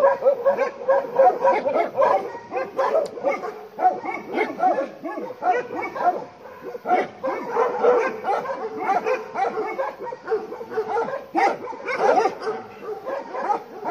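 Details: Bhotia dog barking as a leopard comes near a farm: rapid, harsh barks run almost without break for fourteen seconds, overlapping into a dense, agitated chorus.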